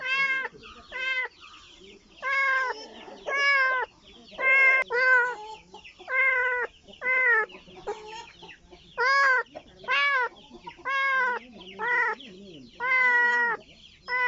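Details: Kitten searching for its mother, meowing insistently: clear rising-falling cries roughly one per second, each short and bright, with softer murmurs in the gaps between them.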